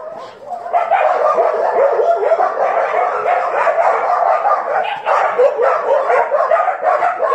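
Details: Several dogs barking and yapping together in a continuous, overlapping chorus of high, sharp yelps with no pause, growing louder after a quiet start.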